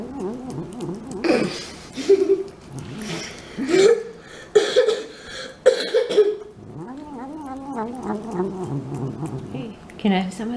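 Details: Eating cat producing loud, sharp smacking and chewing bursts mixed with low wavering grumbles, roughly every second at first, then a stretch of softer warbling murmurs and a final smack.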